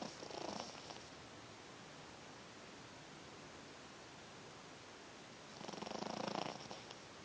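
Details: Small furry dog napping indoors and snoring loudly as usual: two breathy, rasping snores about five seconds apart, each lasting under a second, with a quiet steady hiss between them.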